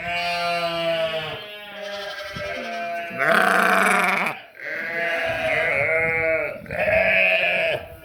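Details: Funny sheep and lambs bleating: a series of loud, vibrating, drawn-out bleats, one after another in quick succession, some higher-pitched and some lower, suggesting several animals calling.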